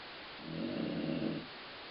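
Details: Colline, a dog, snoring with a sound likened to stomach growling: a single low, rough rumbling breath lasting about one second, swelling and fading over steady background hiss.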